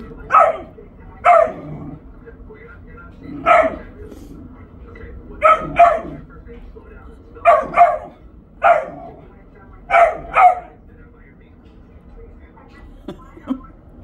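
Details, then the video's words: A dog barks at his toy box indoors: about nine sharp, loud barks over fourteen seconds, often in quick pairs, with pauses between bursts and a low background hum. "barks at his toy box"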